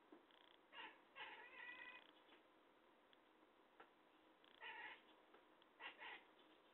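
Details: A talkative cat gives clusters of nasal, harmonic meows. Two or three come in quick succession, then a quiet gap of about two seconds, then more short meows near the end.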